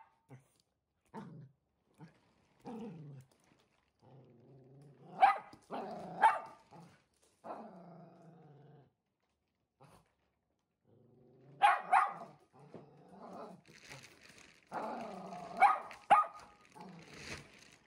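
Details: One-year-old blue merle Shetland Sheepdog indoors, timid yet confronting a delivered mattress; scattered soft whines and low growly grumbles with a few sharp barks, the busiest stretch near the end.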